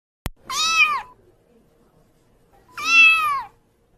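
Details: A white pet kitten gives two drawn-out, bright meows that rise and fall, spaced roughly two seconds apart, after a brief sharp click at the start; otherwise quiet indoor background.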